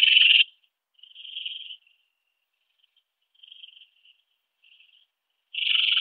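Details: Song of a ringed bush-cricket, Rhacocleis annulata, at Biedermannsdorf, Austria, on 8 August 2022: a loud opening burst, then softer buzzy phrases fading away, and another strong burst closing the sequence.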